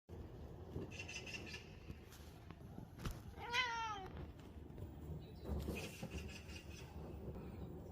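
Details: A disabled cat, indoors while birds are heard outside the window, gives one short rising-then-falling harmonic meow midway through, with otherwise quiet room background and faint rustling.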